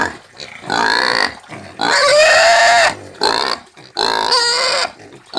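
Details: Screaming domestic pig, called porco caipira: loud harsh squeals in bursts of about one second, rising and falling, with short gaps of silence between them.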